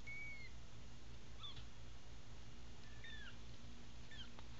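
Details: A litter of five American Bobtail kittens, eyes just opening, gives thin, high, faint mews. Several fall in pitch and are spread across a few seconds over a steady low hum.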